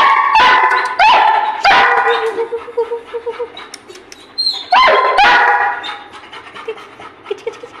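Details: Playful Labrador Retriever giving loud, sharp barks in quick bursts, two early clusters and a pair near the five-second mark, separated by softer whimpering tones that fade toward the end.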